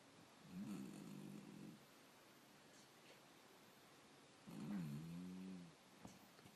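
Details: Black dog snoring: two drawn-out, low, droning snores about four seconds apart, each lasting roughly a second, over a quiet hissing background.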